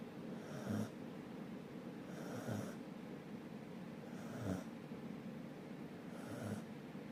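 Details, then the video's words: Dog asleep and snoring, with four breathy, rasping snores about every two seconds, each a short noisy burst over a steady low room hum. "Can u hear me snoring"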